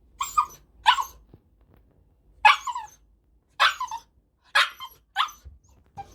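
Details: Male Cavalier King Charles Spaniel, born 13 May 2019 and weighing 7.6 kg, kept as a family pet, giving sharp, bright barks singly or in pairs, six in all, separated by short silences.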